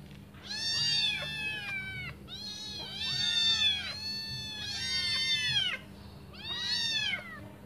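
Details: Hungry kittens, five of them, call while awaiting their mother's return to feed; clustered bursts of shrill, falling meows from several voices at once, separated by brief pauses, over a faint constant hum.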